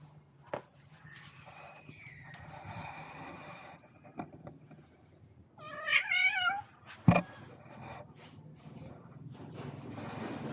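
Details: Visiting male cat with a very weird voice, come to eat food and seeking a mate with a spayed female, seeming upset: a drawn-out, wavering meow with a quivering pitch near the middle, plus fainter earlier cries and background murmur.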